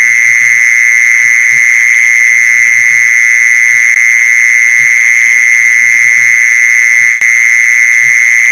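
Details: Steady mole cricket song for attracting mole crickets, a constant high whirring trill that never varies; one brief click late on and faint low knocking beneath.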